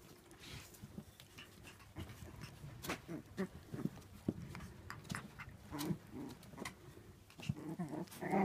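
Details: A crowd of kennel-bred Shiba Inu puppies, born 8 May 2016, shuffle and snuffle about. Low grunting breaths and brief nasal squeaks repeat irregularly over a steady rustle.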